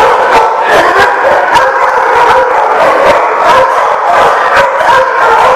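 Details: Dogs barking on 7/3/15; dense, overlapping barks and yelps form a loud, continuous chorus, with sharp bursts landing every fraction of a second throughout.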